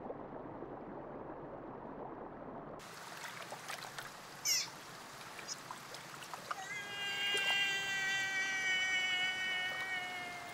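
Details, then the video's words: Sea otter giving a long, steady, high squealing call with rich harmonics, sustained for about four seconds and rising slightly in loudness, after brief clicks and splashes; water noise runs underneath. "Sea otter sounds and video. HQ otter sound effect."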